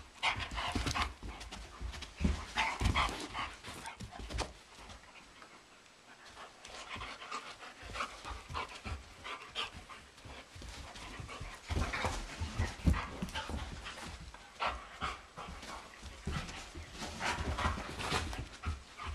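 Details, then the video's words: Energetic indoor wrestling match between a German Shepherd and a Doberman in a living room, two sheep looking on, recorded in April. Fast ragged panting with thumping scuffles and low knocks throughout. "German Shepherd vs. Doberman (with sheep!)"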